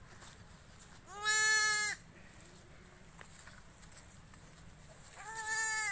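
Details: A farmed goat gives a single short, tremulous bleat. After a quiet stretch with faint rustling, another bleat begins at the end.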